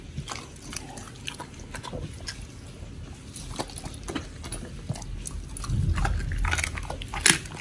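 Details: Raw-fed pit bull chewing, Oli or Nommy, on a meal that includes giant white snapper, October 2023. Rapid crunching and biting repeats about three times a second, with heavier low, wet gnawing toward the end indoors.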